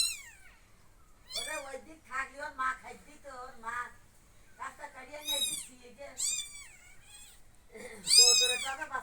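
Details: Kittens crying high meows mixed with a woman speaking in Bengali; several arched, thin mews in bursts, the loudest and most strained near the end, with human talk between them indoors.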